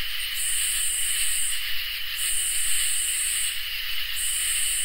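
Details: On a summer night, crickets and katydids keep up a constant high ringing trill, while long, piercing buzzy stretches of about one to one and a half seconds alternate with brief quiet gaps.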